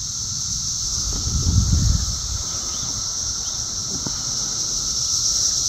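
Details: Cicadas buzzing loudly and flying around in the south suburbs of Chicago, Illinois, on June 3, 2024, a steady high, hissing drone running unbroken through the whole stretch over low rumbling handling noise.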